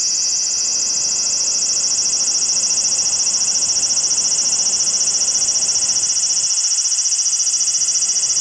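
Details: Large brown cicada perched on a house window screen, recorded 2 August 2012: an intense unbroken buzzing hiss, high and rapidly pulsed, holding steady throughout with faint low background rumble.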